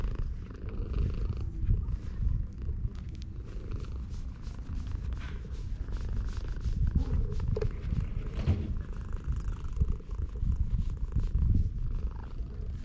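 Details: A stray cat lounging in the sun at a Japanese shrine purrs steadily as it is stroked, a deep continuous throbbing rumble lasting the whole stretch, overlaid with soft scratchy rustles and clicks of fur and hand.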